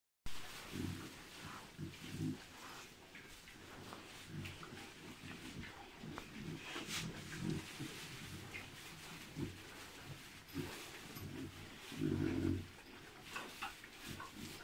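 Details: Three-month-old hybrid piglets from a Landrace sow and Pietrain boar, heard as low, short grunts scattered through the recording, with a louder rough burst of grunting near the end over steady background noise.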